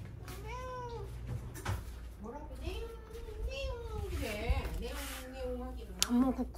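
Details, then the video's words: Pet cat lying on its back indoors, fussing and demanding to be petted, giving a string of drawn-out, wavering meows that rise and fall, one after another, with a person talking and a low steady hum underneath. "만져달라고 드러누워서 떼쓰는 고양이"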